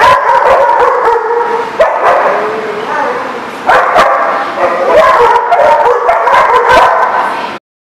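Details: Dogs recorded on 10/5/18 bark continuously in a loud chorus, overlapping yips and howl-like notes, several animals calling at once with no pause.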